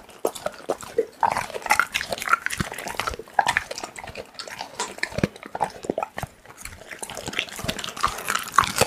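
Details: Pit bull eating raw meat: continuous wet, crunching chewing and smacking sounds, dense and irregular throughout, recorded close up.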